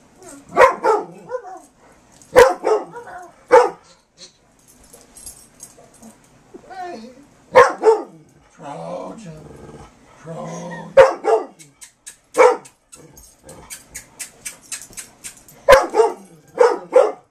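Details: Playful barking from a Carolina Dog and a black Labrador working to recover a squeak toy from a person shielding it, filmed in 2008; loud barks come in bursts across the clip, with squeaks and scuffling between them.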